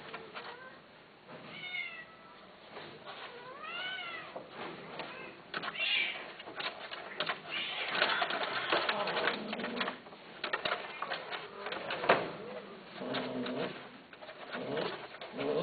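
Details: Domestic cat meowing indoors, several rising-then-falling drawn-out meows near the start followed by softer, shorter mews, over frequent clicking and rustling handling noise.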